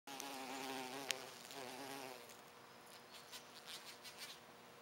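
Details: Horsefly feeding on flowers in Québec, its wings giving a steady, droning buzz with a low hum and stacked overtones for about two seconds before fading into faint background rustle and soft ticks.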